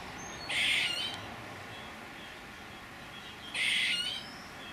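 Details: Squirrel giving two harsh, hissing, noisy bursts about three seconds apart, each under a second long, over a quiet background.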